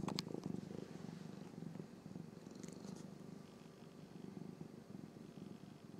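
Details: Norwegian Forest Cat siblings purring while grooming each other; a steady low rumbling purr with pulsing texture runs throughout, with a few faint licking clicks early on.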